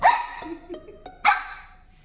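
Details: Samoyed puppy getting sassy during training, giving two short sharp high barks about a second apart with faint soft sounds between.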